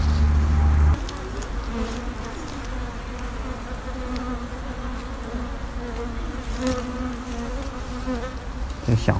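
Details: Wild honey bee colony, a long-established nest of sixteen combs built under an abandoned vine-covered sofa, disturbed during honey harvesting; a steady, dense low hum with faint tonal bands, a brief loud thump at the start and clatter at the end.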